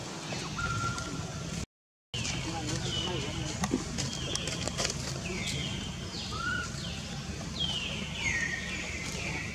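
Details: Frightened baby monkey Jody among wild monkeys living alongside tourists at Angkor Wat, Cambodia, calls for mother Jane after its first kidnapping. A series of high, falling cries, some brief and some drawn out, grows denser toward the end over constant low background noise.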